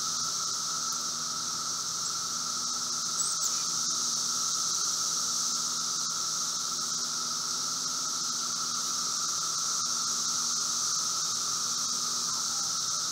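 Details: Emerging seventeen-year cicadas, Brood V Magicicada, heard at several distances outside a house in Logan, Ohio, 4 June 2016 at 3:10 p.m.: an even, high-pitched roar and a separate lower humming band, steady for the whole stretch.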